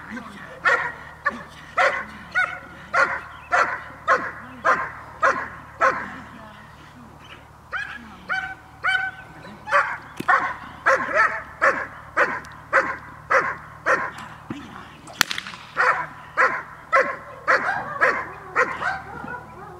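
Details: Dog in a training session, 5 May 2015, barking in quick, even volleys of short sharp barks with a brief pause near the middle and faint human speech in the background.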